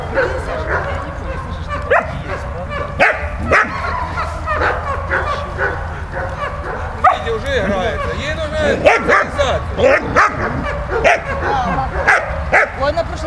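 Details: Playful dog Malta with Bulat: irregular bursts of barks and yips throughout, thickest from about 8 to 13 seconds, with whiny tonal sounds between them and steady low background noise.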